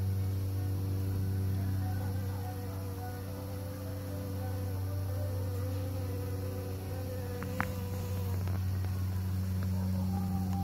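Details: Bees at work pollinating flowers: a steady, low droning hum with a deep fundamental and stacked overtones. Higher wavering tones rise and fall as insects fly close, and a brief click sounds near the eighth second.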